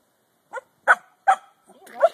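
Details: Corgi complaining while told to come here; four short yelping, talking-like grumbles spaced about a third of a second apart, the last longer and wavering.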